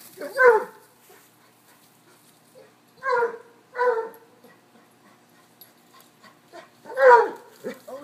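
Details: A cocker-hound mix, a Basset and a corgi playing chase. Four loud, harmonic barks come in pairs with long pauses between them. Faint background sounds fill the gaps.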